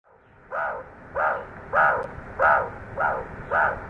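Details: A group of meerkats aggressively over-marks a scent trail left by a Cape cobra, a deadly predator seen shortly before. They give harsh, barking calls repeated about every half second.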